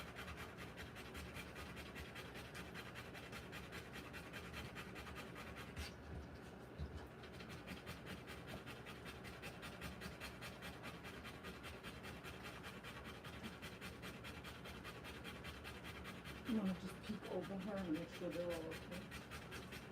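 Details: Rottweiler in labour delivering her puppies, breathing in a long run of fast, shallow, rasping pants that hardly pause. A few faint whimpering tones come near the end.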